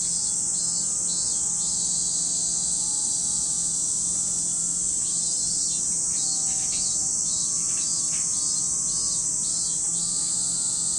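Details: Cicadas calling at Lake Kamo in Sado City, Niigata, Japan: a continuous high buzzing drone overlaid by rapid rhythmic pulsed bursts, several per second, in two runs, with faint steady low tones underneath.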